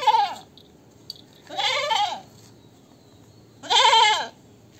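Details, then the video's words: Goat calling three times, loud vibrato bleats about two seconds apart, each wavering and falling at the end, with quiet between. "Goat sound 2023 । Best goat sound in the world 2023"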